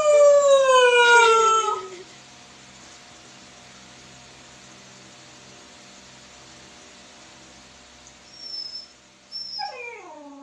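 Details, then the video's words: A baby husky, howling at a phone, gives a loud, falling howl, then a quieter sliding howl after a pause. "HOWLING- My baby husky talking to the phone"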